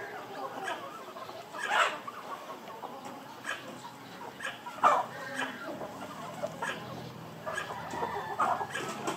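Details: Squirrel; mating call; calling to attract a mate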